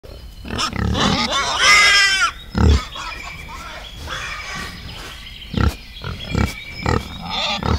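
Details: Wild boar in a forest setting: harsh, broadband grunts and squeals with a loud burst near the second second, then several short low grunts spaced irregularly, over a steady background hiss and faint high tones.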